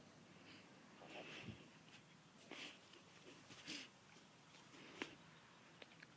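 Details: A French Bulldog snores in wheezy, raspy breaths roughly every second while asleep in a swing.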